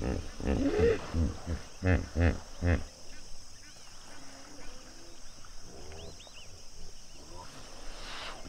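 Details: African hippo pod at sunset at Duba Plains in the Okavango Delta; a deep series of booming, pulsing grunts over the first three seconds, then a quieter stretch with small bird chirps and a distant low murmur.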